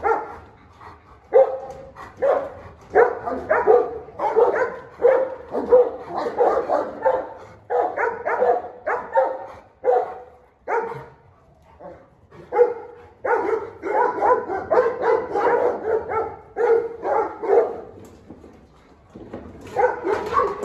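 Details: Two dogs, a vicious dog facing a 'dog king', turn frenzied in a sudden clash. Rough, harsh barks and snarls come in dense bursts about every half second, with short pauses near eight and twelve seconds.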